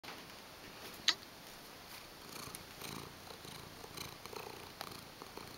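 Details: White Siamese cat, a male foster cat in New York City, purring indoors; a steady rasping purr with fine rhythmic pulses and one sharp click.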